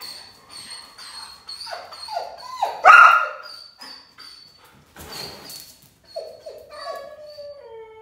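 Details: Six-month-old German Shepherd named Teddy Bear, in training near Augusta, Georgia: thin, high whining tones held steady, broken by short falling whimpers and one louder strained cry midway, then more sliding whimpers.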